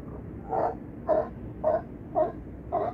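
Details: California sea lions at Crescent City harbor, with Battery Point lighthouse in the distance: five short, hoarse barks spaced about half a second apart over a low background rumble.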